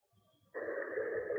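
A humpback whale gives a steady, droning moan, rich in overtones, that starts abruptly after a quiet moment.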